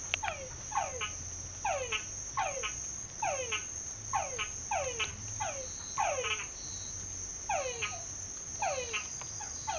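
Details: Several frogs singing in a well at San Pedro Nonualco give quick, sharply falling whistled notes in overlapping bursts over a steady high insect whine.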